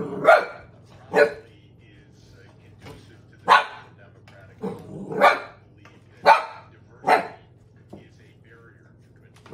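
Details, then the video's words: Pet dog barking at an empty soda bottle it apparently finds threatening: seven sharp, loud barks spaced about one second apart, with a steady low hum underneath and faint voices. "Empty soda bottles are a serious threat apparently"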